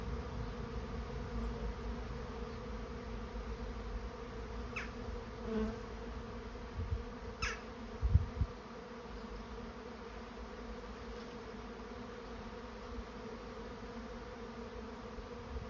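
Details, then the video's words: Honey bees swarming into a trap produce a constant deep buzzing hum; several light taps and knocks sound in the middle stretch before the drone settles evenly again. "Bee swarm moving into trap"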